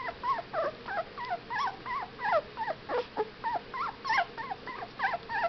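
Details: Whippet pups aged 15 days cry in a continuous run of squeaky, warbling whines, each note twisting in pitch, roughly three per second, with a faint background hum.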